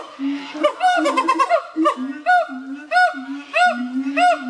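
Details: Siamang gibbons, native to the forests of Malaysia, Thailand and Sumatra, give loud booming notes alternating with rising, arched whooping calls that repeat about every second, building into a rhythmic series.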